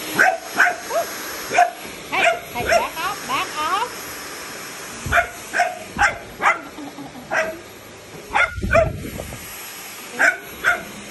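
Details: Golden Retriever near a Dyson vacuum, giving short sharp barks in irregular bursts, several close together then pauses, with wavering whiny notes early on and human voices talking in the background.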